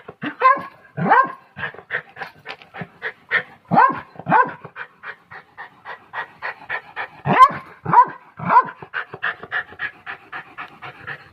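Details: Pomeranian dog alternating rapid rhythmic panting with bursts of sharp, high yapping barks, often two or three in quick succession, over about eleven seconds.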